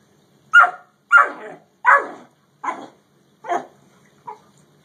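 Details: Quick series of harsh dog barks as a Great Dane meets a Yellow Labrador: five strong barks about every 0.7 seconds, then a fainter short one, in a quiet background.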